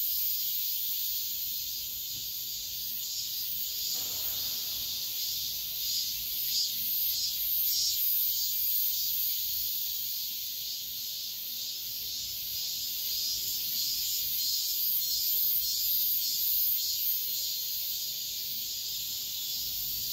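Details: At dawn in high summer, cicadas keep up a continuous high-pitched buzzing wall of sound, throbbing slightly in loudness, with a brief faint lower sound near the fourth second.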